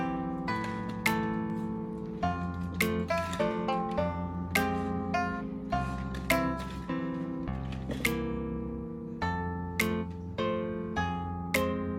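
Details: Gentle plucked acoustic guitar music plays throughout, with steady low bass notes and bright picked melody; no animal voices can be picked out.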